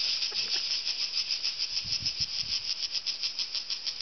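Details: Cicadas in mountain trees on a hot summer day give a loud, unbroken high buzz that throbs in quick, rattling pulses, drowning out conversation.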